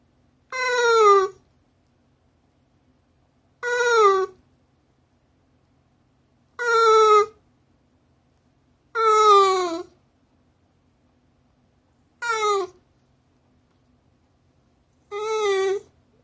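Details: Shiba Inu aged 15 years, 6 months and 11 days, appealing for something. Six loud, tonal wailing whines, each falling in pitch and lasting under a second, repeated roughly every three seconds with silence between.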